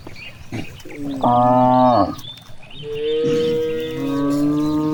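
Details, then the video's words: Grazing cows in a wide green rice field call out: a short loud moo, then a longer, lower, gently falling moo, with faint bird chirps and rustling behind. "the sound of cows"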